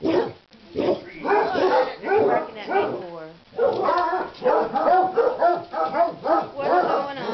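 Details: Excited dogs at Christmastime, stirred by leg of lamb in a crockpot, let out dense strings of yapping barks, briefly dropping to a softer whine near the middle before the frantic chorus resumes.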